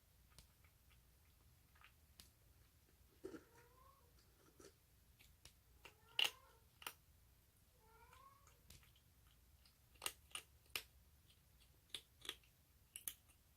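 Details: Rescued stray baby orange tabby kitten, recorded 1 March 2019, eating hungrily and making odd sounds: short, squeaky, harmonic mews, some in quick bursts, amid frequent sharp clicks from chewing and the food dish.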